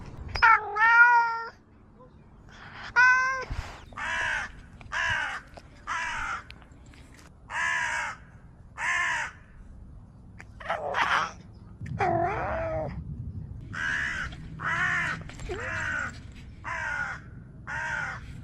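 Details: Domestic cat making unusual sounds: two rising meows at the start, then a steady series of short, rough, noisy calls repeated about every second, with a wavering meow midway and faint low hum behind.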